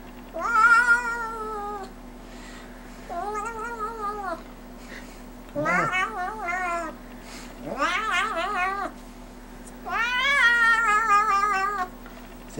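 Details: A silver Bengal kitten "sings" when asked to, giving a string of long, wavering meows with rising and falling pitch.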